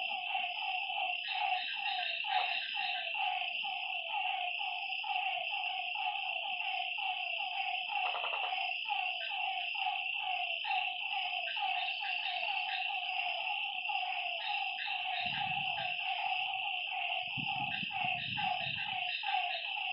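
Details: Frogs at a lakeside after dark keep up a busy stream of short repeated croaks, with a steady insect drone and a few brief low thumps near the end.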